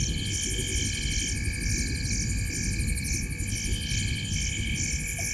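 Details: Frogs in a tree at the corner of Gowrie dam, Djuma Game Reserve, Sabi Sand Wildtuin, South Africa, at 19:33 on 05/07/2023: dense high-pitched pulsed chorus, bursts repeating about twice a second over steady ringing tones and low rumble.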